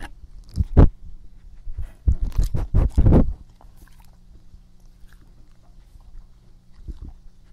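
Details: Pet dog Epo chewing close to the microphone indoors: one loud crunchy bite early on, then a rapid run of sharp, crackling mastication bursts around the second to third second, fading to soft wet clicks and quiet breathing.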